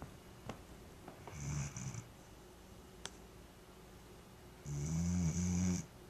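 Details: A Vizsla snores in low, rumbling breaths, with a harsh rasp riding on each one; recorded June 5, 2010.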